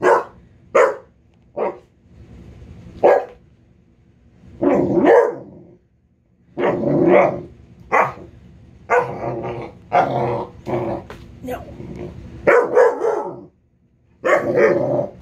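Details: A Basset Hound protests angrily at being told no, giving a few sharp barks and then drawn-out, rough baying howls.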